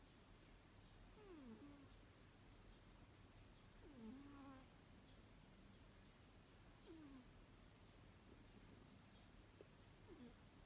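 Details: Six-year-old Abyssinian cat snoring while asleep indoors. Faint, whistling, downward-sliding nasal tones come with each breath, roughly every three seconds, over a quiet steady room hum.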